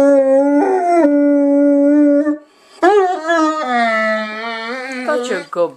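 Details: A big pet dog singing: sustained tonal howls with rich harmonics, a long steady note held about two seconds, then after a brief pause a rising, wavering howl that bends and falls near the end.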